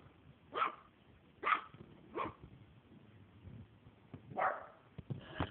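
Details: Ginny, a 4-month-old Maltese puppy, barking while playing with an octopus toy: four short, bright, high-pitched barks spaced about a second apart, then a quieter sharp bark near the end over a soft room background.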